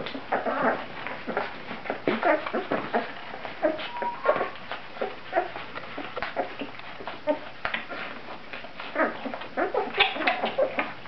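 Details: Great Dane puppies, 17 days old, whimpering while they feed: a busy stream of short, high squeaks and whines mixed with suckling, snuffling and rustling.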